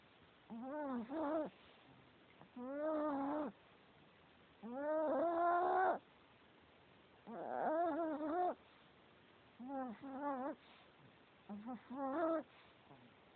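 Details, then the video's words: Snoring from a sleeping male Chihuahua: a run of humming, slightly quavering nasal breaths, each about a second long and spaced roughly every two seconds, some stretched and louder, others clipped and faint. "Chihuahua snoring"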